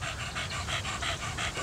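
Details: Thirteen-year-old Staffordshire Bull Terrier cross named Donut panting hard and regularly, about six breathy pulses per second-and-a-half, over a low background hum.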